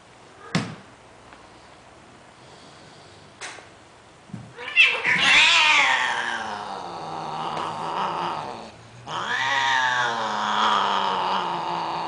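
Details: Sterilized domestic cats, a Greek short hair and a Siamese, mating indoors: a few sharp clicks, then loud drawn-out wailing yowls with rising and falling harmonics, a brief break near nine seconds, then another long howl.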